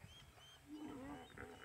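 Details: Excited hippos call together in a chorus in a South African or Kenyan safari reserve, giving a deep, drawn-out honking groan that rises and falls, with faint bird whistles above. A crocodile lies nearby.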